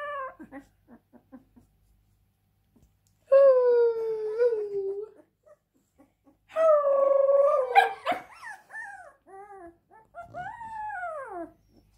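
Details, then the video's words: A few faint short whimpers open, then after a silence a Siberian Husky lets out a long steady howling cry. A second wavering wail follows, then a final arching moan that slides downward. "Husky crying"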